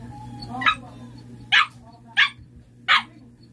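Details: A Siberian Husky answers a question about a playing card with four crisp, evenly spaced barks, one about every three-quarters of a second, over a steady low hum.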